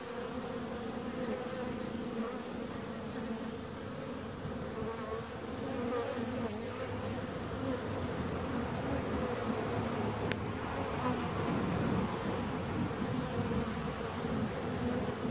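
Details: Bees buzzing in a steady, continuous drone with a low hum and a bright band in the middle register, rising slightly in loudness toward the end; a brief click near the middle.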